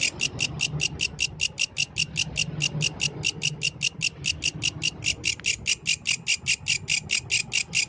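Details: Yellow grasshopper heard at night in nature, repeating shrill, buzzy chirps at a brisk, fairly regular pace of about four per second, over a constant low hum.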